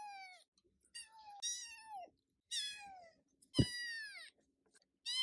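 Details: A female Scottish Fold kitten, straight-eared red tabby, born 14 November 2021, indoors; about five high, drawn-out meows, each sliding downward, with a single dull thump between calls.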